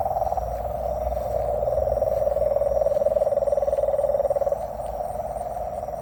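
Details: Frog. A frog call sounds as a continuous low, buzzy trill, pulsing about four times a second. It grows louder through the middle and fades slightly toward the end, over faint background hiss.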